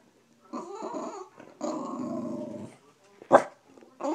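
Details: A Bulldog indoors grumbling through its morning complaints: two drawn-out, rumbling growls with a harmonic, moaning tone, then a short sharp vocal burst and the start of another grumble.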